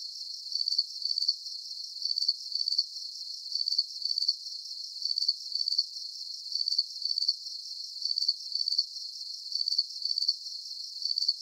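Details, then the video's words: Crickets chirping in a steady night chorus: high, thin trilled chirps in short bursts, pairs of pulses recurring about twice a second, with a constant shimmering hiss behind them and no other sounds. "Calming Cricket Sounds"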